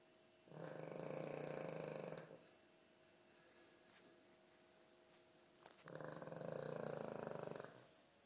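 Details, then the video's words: Sleeping dog snoring indoors in a small room: two long, rough, buzzy breaths about five seconds apart, each lasting under two seconds, with a steady low hum between them. "poppet the snoring dog"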